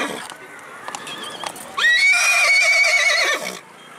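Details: Mare at the Pushkar Mela horse fair, Rajasthan, India, in November 2019, from a stud farm in Jagraon, Punjab. She gives a loud, high, sustained whinny of almost two seconds, steady with a slight waver, after brief human speech and clicking sounds.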